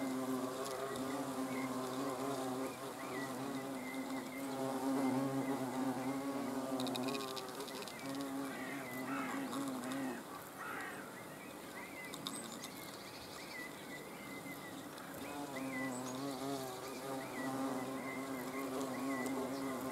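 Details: Buzzing of hornets filmed on 30 June 2020. A continuous low hum with rich overtones wavers in pitch and loudness as insects move around, dipping slightly in the middle then strengthening again.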